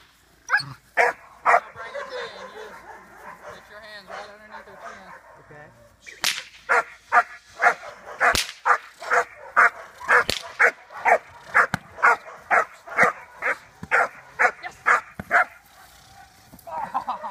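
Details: Four-and-a-half-month-old German Shepherd puppy in early protection development for sport work, barking in a steady series of sharp, high-pitched yapping barks about two per second, after a brief muffled stretch with a person's voice at the start.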